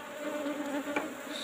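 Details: Asian honey bees in an old-style hive box during a honey harvest as the box is opened: steady low droning hum with a few faint higher tones, continuous through the moment, no voices heard.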